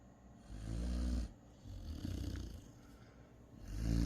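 A Great Dane puppy snores in deep, rumbling breaths, rising and falling about every three seconds.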